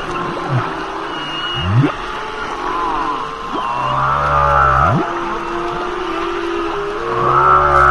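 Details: Humpback whale song: deep moans and swooping upward whoops in the low range, layered with wavering mid-pitched cries and thin whistled tones, units overlapping in a slow, flowing sequence.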